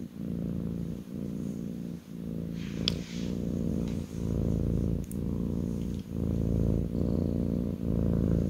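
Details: Kitten purring on its owner's lap, indoors: a steady low rumbling purr that swells and dips with each breath, roughly one cycle per second, with a couple of faint clicks near the middle.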